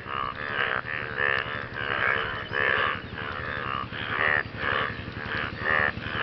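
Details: After rainfall, frogs call to attract partners, a chorus of rich, buzzy croaks repeated roughly every second, with overlapping voices rising and falling in loudness and a constant faint low rumble beneath.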